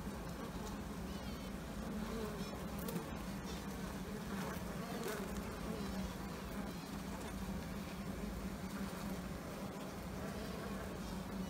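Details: A European hornet trying to get into a Carnica honeybee hive's brood chamber gives a low, steady wing buzz that hums on without a break.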